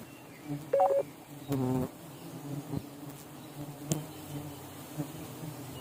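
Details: Giant honey bees, a huge colony relocated and set free one morning at an agricultural college in Namakkal, give a continuous low buzzing drone, overlaid by short tonal beeps and a sharp click.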